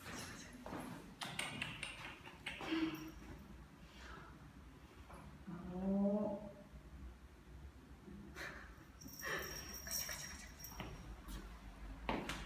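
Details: Ao, a seven-month-old neutered Ragdoll cat, roams a newly occupied apartment complex in Korea on an outdoor walk; one drawn-out, harmonic meow swells and fades midway, amid scattered clattering steps and handling noises.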